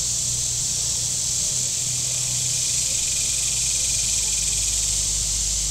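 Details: Cicadas on the shore of Table Rock Lake in southern Missouri on a very warm day: a steady, unbroken high hissing drone fills the air, with a low motor hum from boats on the lake underneath.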